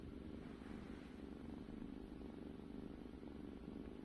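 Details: A pet cat purrs steadily: a continuous low rumbling pulse, unbroken for the whole stretch, soft and even in loudness.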